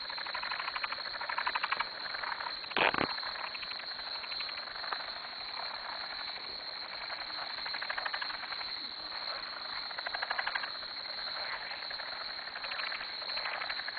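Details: Many frogs calling around a farm dock at 2am form a dense, continuous, pulsing chorus. The chorus swells and fades slightly in places, and a single sharp knock is heard near the three-second mark.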